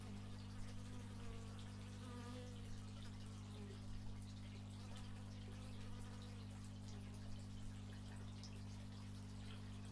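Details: Outdoor stereo recording of bees made with an x/y microphone, giving a continuous low humming buzz with small swells, plus faint thin whistly tones and light background rustle.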